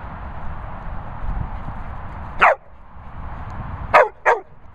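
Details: Labrador Retriever barking: a single sharp bark, then after a pause two quick barks in close succession, all over a steady hum of background noise.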